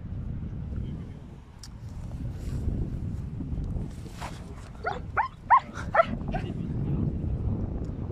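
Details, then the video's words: German Shepherd named Ramiz confronting a huge cow, giving a quick run of four or five short, sharp barks near the end, set against a rumbling outdoor background with brief male voices. "DEV GİBİ İNEĞE KAFA TUTAN ALMAN KURDU RAMİZ!"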